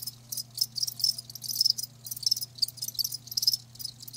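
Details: Live crickets give sharp high trilled chirps in short bursts, about two per second, over a quiet steady hum.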